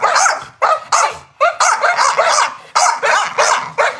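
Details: Chow Chow barking in loud, rough barks, about eight in four seconds, some run together into pairs and triples, with brief silent pauses between bursts.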